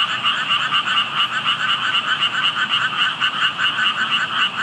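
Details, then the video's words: Frogs calling unseen at a spot where only tadpoles could be found; steady rhythmic croaking chorus, rapid pulses roughly four per second stacked in a mid and a higher band, unbroken for the whole stretch. "개구리 소리"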